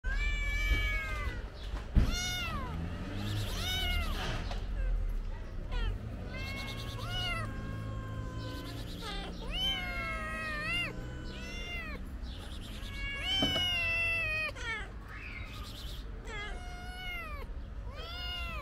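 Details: Stray kitten in Turkey pawing at a person for food, giving repeated rising-falling harmonic meows in quick bursts, several overlapping, with rustling and handling noise between calls.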